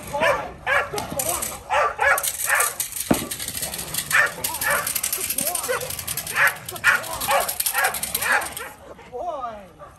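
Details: Male Rottweiler named Kolohe on his first day of bite work in protection training, barking in rapid, irregular bursts about twice a second, with people talking over and between the barks.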